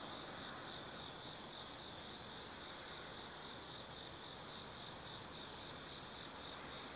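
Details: Night chorus of autumn insects in the forest of Tsukimi no Mori, Nanno-cho, Kaizu, Gifu, Japan, overlooking the Nobi Plain: an unbroken shrill ringing trill held at one high pitch, gently swelling and fading in loudness.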